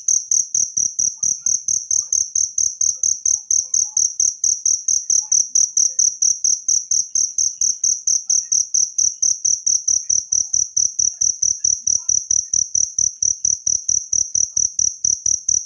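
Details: A wild cricket calls without pause: a high, piercing chirp train, fast and regular, about four pulses each second. Recorded as a natural master sound for songbird training.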